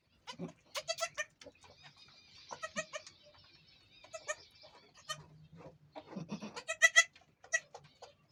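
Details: A goat in labour with the first of her two kids gives repeated nasal, quavering bleats in clusters, with softer background cries and a steady faint hum.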